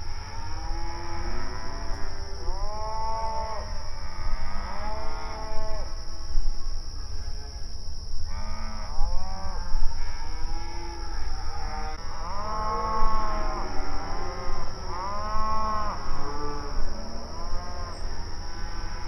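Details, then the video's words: Open range cattle grazing on pasture, calling to each other; a busy chorus of repeated long moos from several animals, some close and loud, others distant, with deeper grunting lows between them and steady low-frequency rumble. "Outdoor Pasture Cattle Grazing Sounds"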